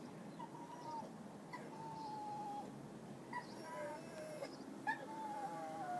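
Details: A lonely dog whines in long, thin, wavering cries that slide slowly downward.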